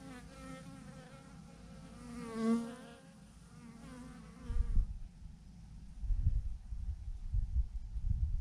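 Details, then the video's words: Honey bee swarm of thousands clumped on a branch, steady droning buzz with wavering pitch as bees pass near, the hum fading halfway through as low thumping wind gusts take over. "thousands of BEES hanging on a branch in a massive clump"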